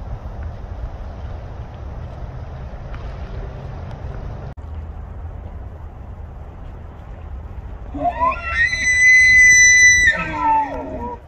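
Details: A bull elk standing in water with a large group of elk answers another bull's call with a bugle after a quiet stretch of low rumbling noise, climbing from a low groan into a sustained, shrill whistle, then dropping into coarse grunts.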